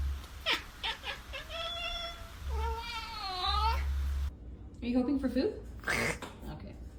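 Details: Domestic cat producing strange noises: a rising then falling warbled meow and a drawn-out wavering cry. A person talks over the cat in a small indoor room, with low background rumble throughout.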